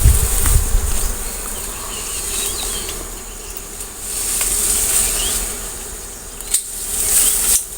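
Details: A swarm of honey bees buzzing during honey gathering: a continuous low, rough drone with a hissy wash of wing noise, a few soft knocks and faint voices near the end.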